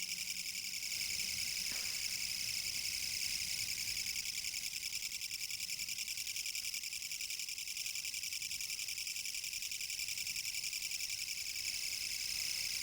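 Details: Kutsuwamushi katydid singing in autumn 2014 in Japan: a loud, continuous pulsed buzz filling the high register, harsh rapid pulses about three to four per second, steady throughout with faint low background noise.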